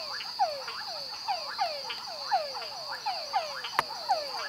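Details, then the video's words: A yellow tree frog (Dendropsophus microcephalus) in Santa Rosa National Park, Costa Rica, in 2013, calls with quick downward-sliding notes repeated several times a second over a steady high insect-like hum. "Dendripsophus microcephalus with calls (Yellow tree frog)"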